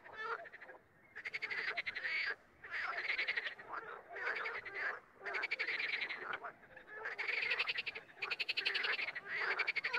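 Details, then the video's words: Frogs croaking alone and in chorus: loud rattling pulse trains arriving in bouts of one to two seconds, separated by brief lulls, several voices overlapping toward the end. "Звук или как квакает лягушка"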